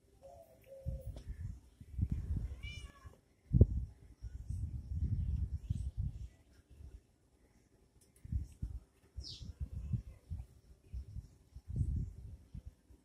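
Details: Kittens fighting and playing: a short, high harmonic mew rises out of dull, repeated thumps and scuffling, followed by a brief sharp squeak and more bumping.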